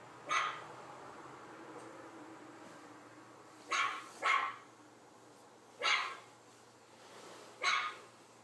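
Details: Reacting to a puppy on an iPad screen, a dog lets out single sharp barks and a quick double bark, spaced a second or more apart, with a soft low grumble between them and a steady background hum.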